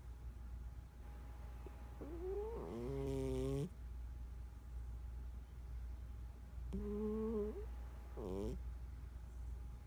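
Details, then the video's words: Snoring of a sleeping 14-year-old domestic cat: two breaths, each a low buzzing snore with rising, wavering overtones and a brief sharper rasp, spaced about four to five seconds apart over a faint steady hum. "14 year old snoring cat"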